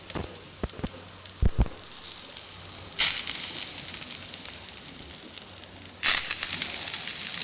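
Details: Several-ton killer whale rubbing its belly on a beach, a cultural behaviour at certain beaches, thought to be exfoliation to scratch an itch and shed dead skin; steady hissing scrape with gravelly crunching surges near three and six seconds, sharp knocks early on.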